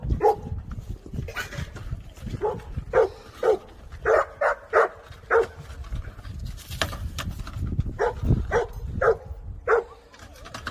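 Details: Jindo dog sisters born 28 October 2020 in Naju, adopted to Chuncheon and growing up freely, bark in a steady series of short, sharp yaps, about two per second, against faint low rumble.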